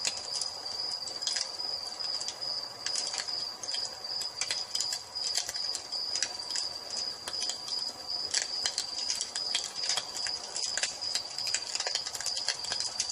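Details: High, even cricket trill sustained at dusk near a crackling fireplace; the insect tone never breaks, and frequent sharp pops and crackles of the fire punctuate it throughout.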